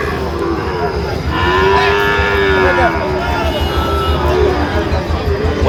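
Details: Sahiwal bull calves at a cattle market in Comilla, Bangladesh, on 13 November 2025; a long, low, drawn-out moo rises and falls over a second or two amid steady crowd chatter and market bustle.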